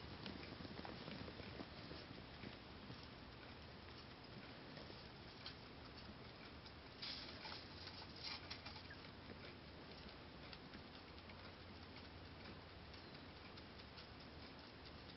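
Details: Momo, a six-month-old female Holland Lop rabbit, endlessly eating timothy hay on 13 August 2010: dense, crisp crunching and popping chews run steadily, about two or three bites per second, with no other clear sounds.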